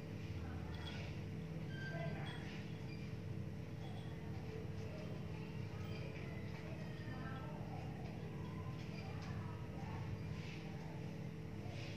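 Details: A steady low hum fills the recording, with faint indistinct voices and soft music far in the background and no animal calls.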